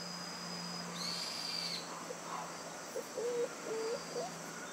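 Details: Newborn white schnauzer puppies, born on 9/3, give thin, short whimpering squeaks that rise and fall, three or four in quick succession near the end, after a faint high steady tone early on.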